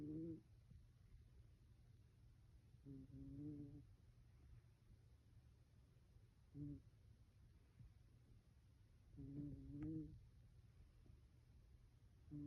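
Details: Sleeping Bengal cat giving tiny snores: short, low, humming tonal breaths that come irregularly every few seconds, some in quick pairs, over a steady low room hum.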